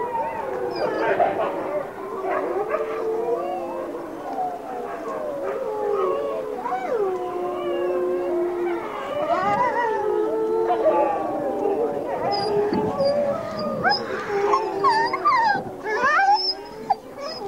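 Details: Wolf pack chorus as a single female greets her hand raisers; many voices howl at once, sliding and bending in pitch, with higher yipping notes building toward the end.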